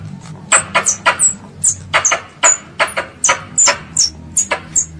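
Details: A loud series of squirrel squeaks, made as it calls its mother: sharp, high, slightly downslurred notes with clicky edges, about three per second after a quiet start.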